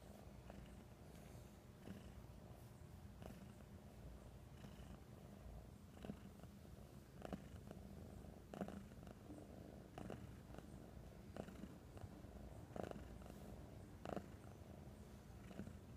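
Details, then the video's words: Oswaldo, a pet cat back home after a few days at the vet, purring a lot from happiness: a steady low rumbling purr throughout, pulsing in rhythm with breathing, with soft clicks and brushing noises indoors. "Cat is so happy to come back home! Purrrrr"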